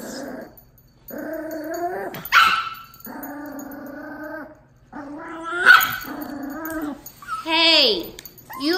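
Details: At the first meeting of a 2-month-old Miniature Pinscher puppy and a Dachshund aged 1 year 6 months, steady harmonic growl-whines come in several bursts of about a second, broken by sharp yips and a final falling squeal.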